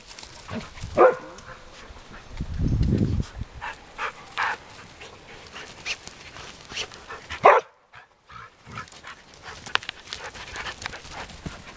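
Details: Dogs playing with nine-week-old puppies in an exercise yard; short, sharp barks or yelps sound near one, four and seven seconds, separated by quieter scuffling and a low rumbling thud around the third second.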